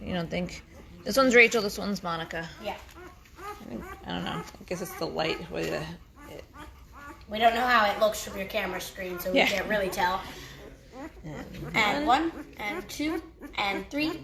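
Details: Five-day-old Great Bernese puppies, a Great Pyrenees mother Lacey crossed with Bernese Mountain Dog Castle, getting noisy: overlapping high, arching squeals and whines from several pups, rising and falling in quick bursts with brief quieter gaps.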